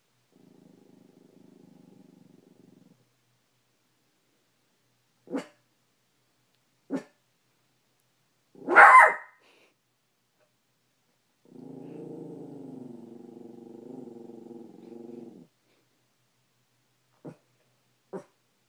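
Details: Male Maltipoo indoors, barking at his own reflection in a bedroom mirror. Sparse sharp single barks separated by quiet pauses, one louder yelp-like bark, and a sustained low rumbling growl lasting several seconds.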